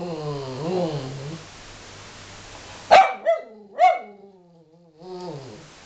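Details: Dog acting angry toward its owner: a low harmonic growl wavering over the first second and a half, then silence, three sharp yelping barks near three and four seconds, and a final rising growl-whine.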